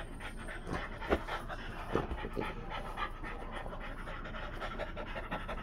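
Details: Freya the Blue Thai Ridgeback plays with her Frenchie friends, including one called Fritter. Fast rhythmic panting continues for several seconds, broken by a couple of louder thumps or snorts near the start.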